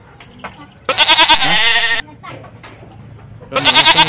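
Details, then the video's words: A goat bleats in a long, quavering, nasal call lasting over a second. After a pause with low background murmur, another bleat starts near the end. "Suara Kambing, Bunyi Kambing, mbek mbek"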